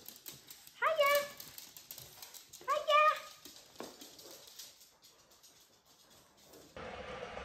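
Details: Indoors, a Japanese Chin dog says hello as its owners come home, giving two short upward-sweeping yelps about two seconds apart, followed by softer rustling and a burst of noise at the end.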